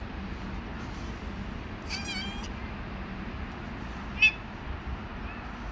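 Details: Stray male cat living on the street, trying to force himself on a female: one brief harmonic cry, then a faint short call later, over steady loud street noise.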